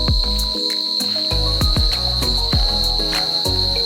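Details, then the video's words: Crickets chirping at night around a quiet, secluded hotel on a weekend trip to Belpahari and Jhargram, very loud: a continuous, steady, high-pitched shrill trill running unbroken throughout, with background music of rhythmic beats and melodic notes playing over it. "এটা ঝিঝি পোকার আওয়াজ শুনতে পাচ্ছ, মানে খুবই লাউড রয়েছে সাউন্ডটা।"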